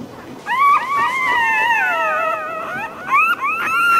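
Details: Puppy whining: one long, mournful cry that starts high and slowly sinks, followed by a few short, rising yelps and a final sustained whimper.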